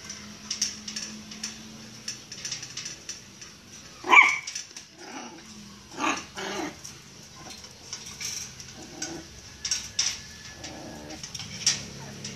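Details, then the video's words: Caged Miniature Pinscher wanting to come out of its cage, giving short, sharp barks and yips at irregular intervals, around four, six, ten and eleven seconds, with faint clicks and rattling between them. "Miniature pinscher wants to come out of the cage"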